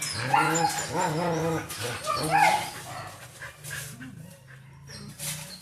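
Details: Labrador Retriever at bedtime giving a series of high, wavering whines and yelps with rising and falling pitch, several in the first three seconds, then quieter softer whimpers.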